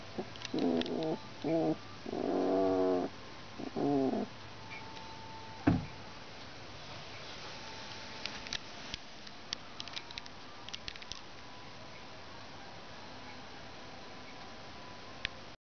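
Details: Two-week-old Alaskan Malamute puppies born in Finland, a litter of one female and three males, mostly the female. Four short bursts of harmonic, nasal whining and grunting in the first four seconds, then near quiet with a sharp knock and faint ticks.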